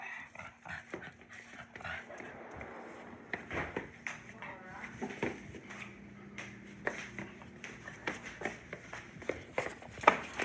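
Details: Indoor dog grumbling, annoyed at its owner for not being allowed to bark at grandpa: low, drawn-out moaning tones and whiny murmurs, with a person speaking and handling noises in a small room.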